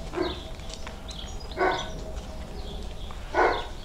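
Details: Six-week-old German Shorthaired Pointer puppies giving three short, sharp yapping barks spaced about one and a half seconds apart, with constant chirping birds and low rumbling noise behind.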